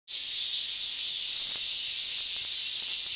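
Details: Mixed cicada chorus in a Tokyo town, Japan, on 3 August 2021, with Black Giant, Large Brown, Mingming and Kempfer cicadas together. It begins abruptly and becomes a dense, steady, high-pitched hiss that continues without a break.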